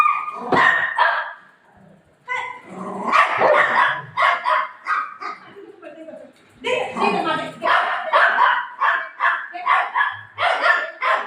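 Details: During play with its mom after tearing up a pillow, a golden retriever gives a rapid run of short, sharp barks, more than two a second in choppy bursts, broken by a brief pause and overlapped by a woman speaking Marathi.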